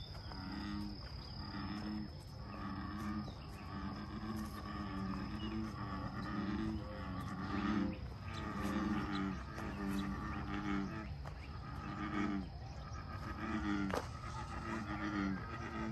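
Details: American bullfrogs calling together at Lake Fairfax. Deep, low croaks overlap in a steady chorus, pulsing about once a second for the whole stretch. Thin bird chirps and a faint high tone sit above them.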